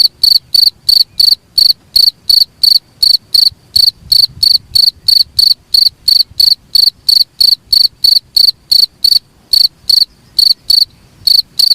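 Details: Cricket calling as a master sound for teaching songbirds: continuous series of shrill, buzzy chirps, about three per second over twelve seconds, with one brief skip near the end and a clean, quiet background.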